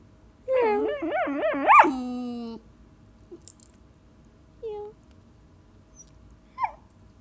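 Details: Young mixed-breed dog, six months old, wanting a game of fetch, gives a quick wavering whine-yodel ending in a long flat whine, then a few faint short squeaks over quiet room hum.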